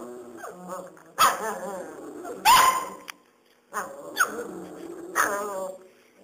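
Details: Serbian Mastiff x German Boxer puppies, five weeks old, letting out sharp whiny yelps and short barks, each rising then sagging in pitch, about five bursts spaced roughly a second apart with near silence between.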